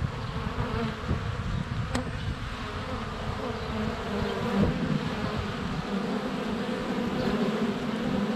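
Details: Honey bees in constant flight around a hive entrance, sunny February, recorded on a GoPro Hero 7 Black less than a foot from the hive; even, low continuous buzz with a sharp click near two seconds.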